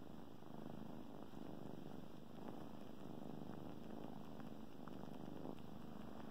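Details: Domestic kittens suckling on a blanket while purring; continuous low rumbling purr with faint ticking suckling sounds throughout, no other voices.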